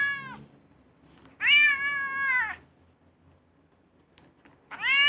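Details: Domestic cat meowing: a short harmonic call at the start, then a long level meow lasting about a second, and a third rising meow at the end, with quiet pauses between.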